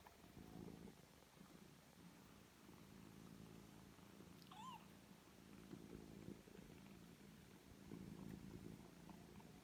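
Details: Indoor rescue foster family of a mother cat with five kittens aged three weeks. A continuous low rumbling purr swells and fades in waves, broken midway by one brief, thin, rising-then-falling kitten mew.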